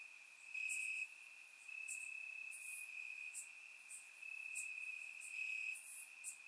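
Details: Crickets in Bulgarian grass on a warm summer night, surround microphone: an unbroken high, ringing trill with periodic louder pulses and scattered piercing chirps above it.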